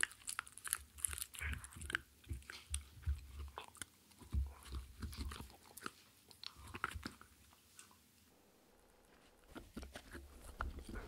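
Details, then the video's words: A dog chews a cupcake treat, a dog-safe mini muffin, in a small indoor room. Sticky munching and soft crunches pulse at an uneven pace, then fall quiet around the eighth second before chewing resumes. "ASMR Dog Eating Super Thanks Treato Tingly and satisfying sounds (no talking)"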